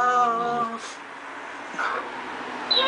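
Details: American Staffordshire terrier, one of the pair Lara and Bono, giving a loud, steady, tonal whine for about two-thirds of a second, then quiet room noise with faint scattered clicks and a brief rising squeak at the end.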